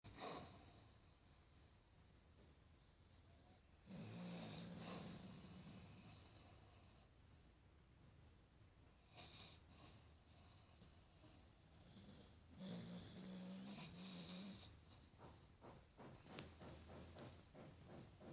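A Staffordshire Bull Terrier snores in low, rumbling breaths, with quieter wheezy exhales between.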